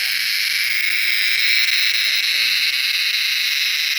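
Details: Cicada in a garden in the evening, singing from a mango or coconut tree: continuous loud, high, hissing drone without breaks throughout.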